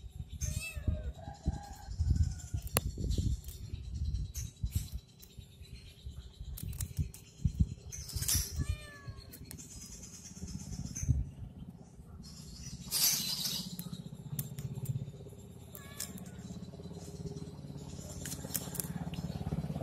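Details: Domestic cat playing with a stick, giving a few short meows with stacked tones near the start and again around the middle, over steady low rumbling noise, bursts of scratchy handling sounds and faint bird chirps.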